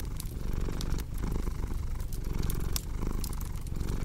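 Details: Domestic cat purring, a steady low rumble broken by short pauses at each breath, about once a second, with sharp crackles and pops from a wood fire on top.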